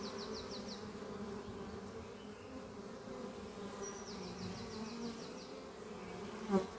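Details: A constant layered hum of honey bees flying around the beehive Doppio on a spring morning, with two quick series of high, rapidly repeated bird notes and a brief sharp tap at the close.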